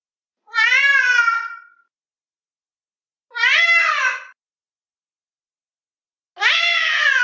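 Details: Three clear, rich meows from a fluffy cat watching intently out a window, each roughly a second long with a gently bowed pitch, spaced about every three seconds with silence between.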